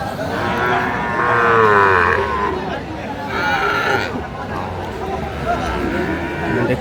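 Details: At a Tangail cattle market on 4 March 2025, Sahiwal bulls are offered for sale; one long, tonal moo swells and falls early on, followed by fainter calls amid crowd talk.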